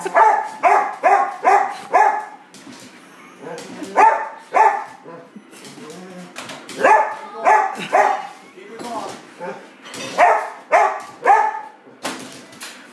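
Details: English Springer Spaniel excited before dinner, giving bursts of sharp harmonic barks in quick runs of three to five, short pauses between volleys, with clicks and clatter in the background.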